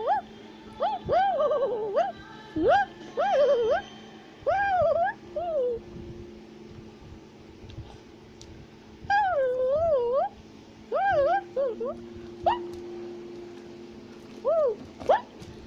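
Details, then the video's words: Tufted capuchin monkey climbing a tree and chattering in South America: wavering whistled squeals and chirps in irregular groups, with a faint steady hum in the background. "Capuchin Monkey is Climbing a Tree While Shouting and Chattering Sounds"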